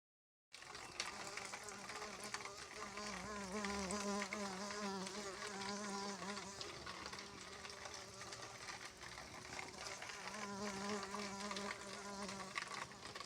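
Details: Bumblebee buzzing: a continuous low, steady drone that wavers slightly in pitch, with dense broadband hiss throughout.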